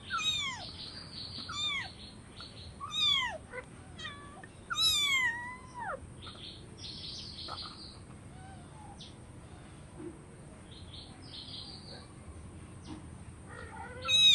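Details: Kittens meowing for food, giving a burst of rapid falling meows in the first six seconds, interspersed with short high squeaky chirps, then quieter, with another meow at the end.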